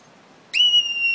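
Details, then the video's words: Marmot at Hatcher's Pass Independence Mine in Alaska, quiet for a long time before suddenly screaming: one piercing, steady high whistle lasting under a second, starting abruptly and dipping slightly at the end, over a quiet background. "Screaming Marmot"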